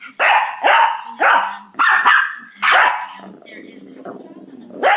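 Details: Bossy Shih Tzu indoors in 2011, one of three young dogs in a household, barking nonstop at the others: about six sharp, loud barks in irregular bursts, then a low rumbling growl between barks before a final bark.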